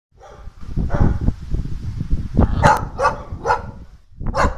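A Bull Terrier gives a run of sharp, rough barks over a low rumbling background.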